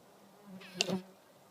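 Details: Red mason bee giving a brief droning buzz that swells and fades within about half a second, a low hum with bright harmonics, against a quiet background.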